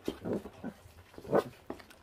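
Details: Five 28-day-old feral puppy siblings, eating raw meat down to the bones indoors and already guarding their food, give several short, low, rough growling bursts, the loudest near the end, over soft chewing noises.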